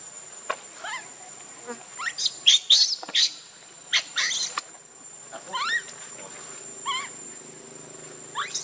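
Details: Baby monkey crying and begging its mother for milk, hungry: a series of short, harsh, high squeals and wavering, rising-falling cries in irregular bursts, some several per second, with brief pauses between and a faint steady high tone behind.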